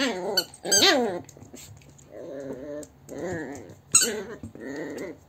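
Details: A Yorkshire terrier that keeps nibbling its owner makes a run of wavering, whiny yips and grumbles, rising and falling in pitch.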